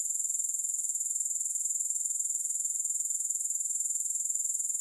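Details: Unbroken high, thin insect trill from grasshoppers, soothing sound without music, pulsing quickly and evenly throughout.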